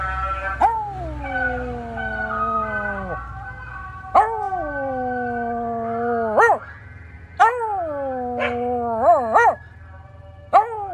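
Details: Cairn Terrier dog howling as a scrap metal truck drives past: long drawn-out howls sliding gently downward, each ending in an upward flick, followed by short rising yelps and wobbling notes, over a low engine-like hum.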